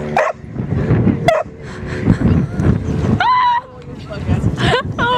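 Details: Dog in Devon, 2014, giving high, bending yelps and whines with ringing overtones: a long sliding one midway, then two shorter cries near the end, over continuous human talking and low background rumble.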